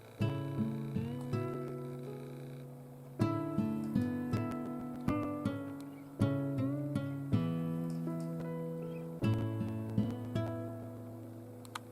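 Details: Gentle acoustic guitar music, plucked chords repeating in phrases, fills the recording with no audible animal sound.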